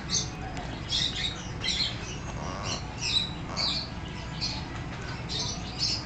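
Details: Degu newly arrived at a pet shop in Kobe, chirping in rapid high squeaky bursts about once a second, some clusters warbling, over a low steady background hum.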